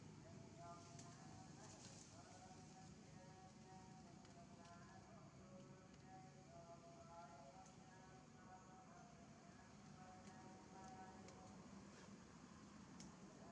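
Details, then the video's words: Hungry baby monkey Janna, with an injured lip, keeps up a thin whimpering cry asking for food, steady wavering tonal notes strung together over a noisy, rustling outdoor background. "baby Janna cannot bear her hunger crying to ask for food eating"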